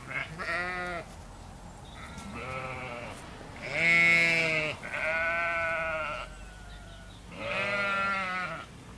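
Sheep bleating in a series of wavering, nasal baas, each lasting about a second.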